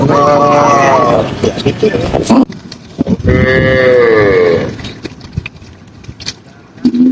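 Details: Tame cows herded through green countryside on a sunny afternoon: two drawn-out, wavering moos, the first about two seconds long, the second rising slightly, then a quieter pause and the start of another call at the end.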